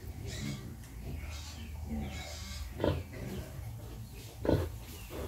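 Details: Sow nursing her piglets gives two short, deep grunts about a second and a half apart, over steady low background rumble.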